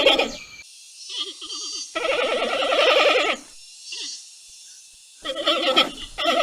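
A giant panda gives wavering, goat-like bleats in short bursts, broken by pauses.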